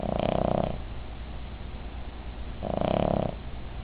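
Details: Midge, a female Cavalier King Charles Spaniel, snoring while asleep: two loud, rough, buzzy snores, each under a second, about two and a half seconds apart, with a quiet steady background between them.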